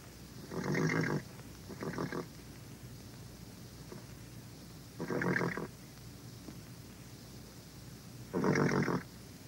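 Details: Horse neighing in four short, harsh, harmonic bursts of about half a second each, irregularly spaced across roughly nine seconds, the last one loudest, over a faint steady low hum.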